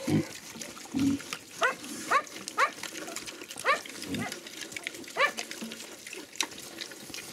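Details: Young Hungarian Mangalica piglets, ten small ones on an eco-farm, feeding on chicken offal: a few short low grunts mixed with quick rising squeaky notes, roughly every half second in the middle stretch, over chewing and crunching noise.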